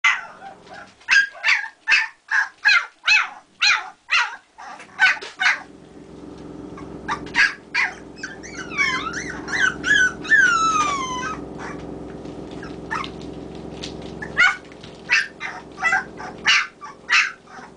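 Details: Kerry Blue Terrier puppies, 24 days old, awake and calling between sleeps as they wait for feeding: a fast series of sharp high yelps, then wavering whistled whines rising and falling, followed by more regular yelps.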